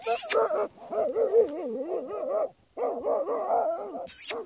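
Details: A Jagdterrier facing badgers utters long undulating, siren-like whines and yelps in two sustained stretches, with a short gap between them and sharp clattering noises at both ends.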